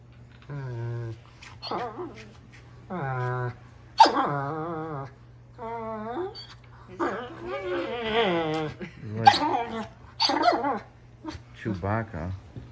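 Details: Ten-month-old male German Shepherd play fighting, voicing Chewbacca-like sounds: long, drawn-out, harmonic groaning howls and whines, some rough and growly, repeated in bursts of one to two seconds with short gaps, mixed with a person's voice.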